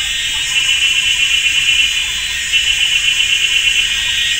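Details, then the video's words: Cicadas in a forest at GuanYin Shan, Taiwan, on a sunny summer afternoon, loud and ear-deafening. A steady high buzzing chorus with a pulsing, trilled band running through it and no other clear sounds. "GuanYin Shan Forest and Cicadas"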